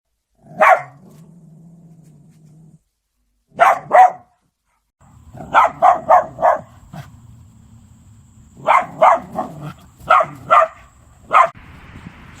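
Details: Samoyed dog, filmed alongside a cat, giving sharp, short barks: two single barks, then a quick run of four, and later a further cluster of barks, over a steady low hum.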